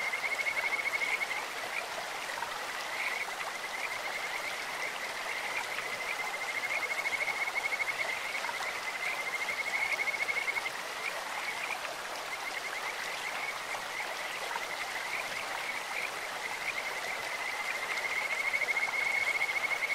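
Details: High, rapidly pulsed trills of Kajika frogs carry over a flowing stream, rising and falling in volume in waves across the recording.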